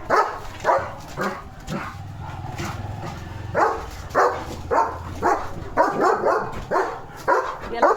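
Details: Guard dog Leo, a German Shepherd, chasing off another dog by barking from his village home. Steady, loud barking about twice a second, with rough, punchy notes and a person speaking underneath.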